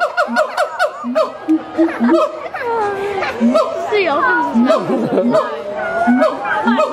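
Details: Siamangs at Miami Metrozoo howl in loud, rising and falling whoops and barks, resonated by the inflatable throat sac, with a sound also made on breathing in; human voices and laughter around them.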